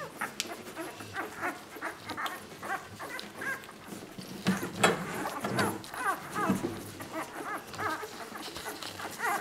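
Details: Ten-day-old Labrador Retriever puppies giving thin, repeated whimpers and squeaks, faint at first and clearer toward the end, over a constant background hiss.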